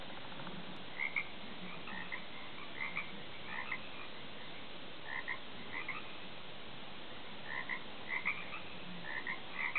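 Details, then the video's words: Frogs croaking off a back deck, scattered short bright croaks in bursts over a steady low background hum. "croaking frogs"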